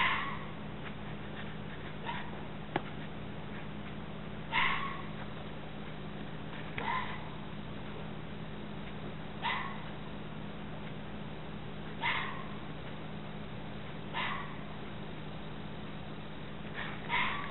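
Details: Repeated red fox screams, rasping and strained, coming roughly every two to three seconds across the recording, some louder and some distant-sounding, with a constant low electrical hum underneath.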